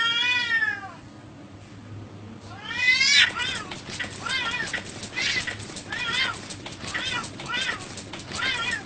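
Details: Cats and kittens meowing: a loud falling meow, then a rising one followed by a rapid run of short repeated mews, about two per second, over a low hum and faint voices.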